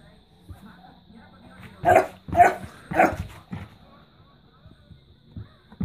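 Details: Smooth Fox Terrier frightened by a money-box, giving three sharp, loud barks roughly half a second apart, then a few softer short yips and faint background noises.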